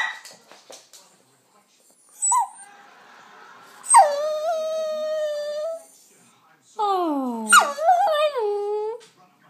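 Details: Pet King Charles spaniel puppy vocalizing as if speaking: sustained, wavering whines and a bent, yodel-like howl after quiet gaps, with faint human speech in between indoors.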